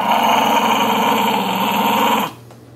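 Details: Indoors, the puppy Sonny tugs at his dolphin pillow toy and growls loudly and continuously for about two seconds, rough and buzzy, then stops abruptly, leaving a faint room hum.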